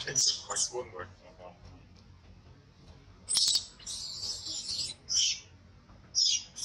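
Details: Young monkey in a tantrum, mistreated by its mother, letting out piercing high-pitched screams. Several loud bursts of about half a second to a second each, with softer squeaks between, over a low background rumble.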